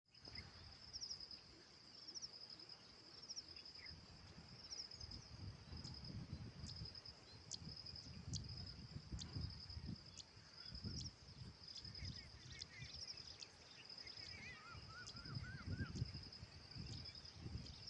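An insect gives a steady, high, unbroken buzzing trill over a low rumble of wind.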